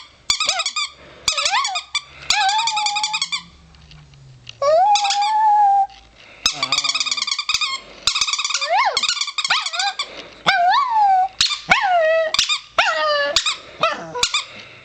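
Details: A four-year-old chihuahua howls inside a small room, alternating rapid pulsed yodelling bursts with drawn-out rising and falling wails, plus faint low background hum.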